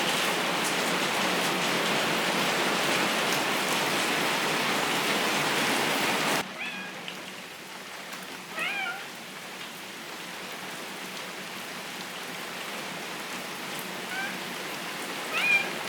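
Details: Maine Coon cat, about two months in the home, during her first thunderstorm with lightning; heavy rain roars for six seconds, then stops, followed by a few short high rising-falling meows amid softer rain.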